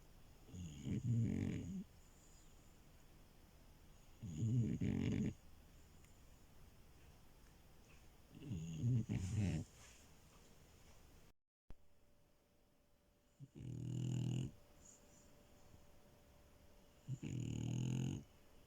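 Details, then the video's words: Sleeping female French Bulldog snoring steadily in a quiet indoor setting. Five low, raspy, rumbling snores come roughly every four seconds, each lasting about a second, with near silence between breaths. "Frenchie love and her snores"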